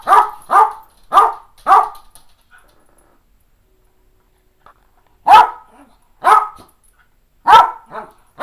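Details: Eleven-and-a-half-year-old Cairn Terrier Fergus, eager for playtime at home, gives a quick run of four loud barks, pauses about three seconds, then resumes with spaced single barks; a second Cairn, McKenzi, is present as a distraction.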